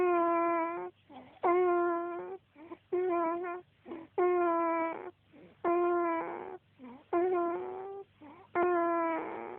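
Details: Snoring from Jasper the dog: a run of strong, whistled, whine-like breaths near one per second and a half, fairly regular, with short wheezy sounds between them.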